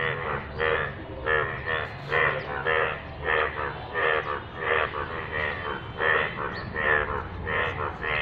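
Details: Yellow frog croaking in rainwater, a long steady sequence of loud, nasal, buzzing croaks about every half second, some calls overlapping as if from more than one frog, over a low background hum.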